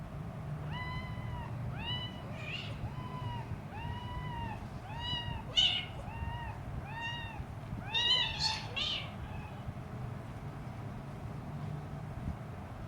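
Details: A three-week-old hungry Siamese kitten gives high, thin meows to its mother, each arching up then down in pitch, about once a second over a steady low hum.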